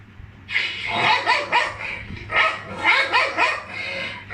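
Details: A pet dog reacting to funny sounds gives a run of short, harsh barks and yips in quick, uneven bursts, several overlapping across four seconds, in a quiet indoor setting.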